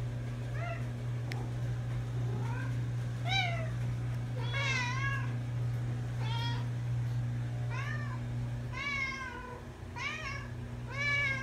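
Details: Several pet cats meowing nonstop while travelling to camp; overlapping bent, harmonic meows crowd the second half, rising and dropping in pitch, with a constant low droning hum beneath.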